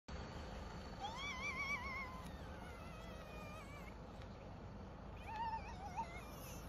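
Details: Baby hyena in Kruger National Park, South Africa, screaming for milk: wavering, warbling high-pitched cries in two bouts, the first about a second long and a shorter one near the end, over steady low rumble.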